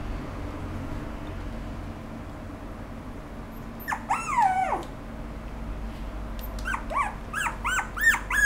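A small toy poodle–Pomeranian mix dog gives a long falling whine, then a run of quick, high yips.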